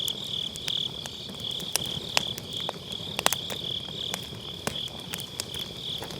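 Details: High, rhythmically throbbing trill of grass insects on an autumn night, overlaid by loud pops and crackling from firewood burning in a round fire pit; recorded on a Sennheiser MKE600 with low cut.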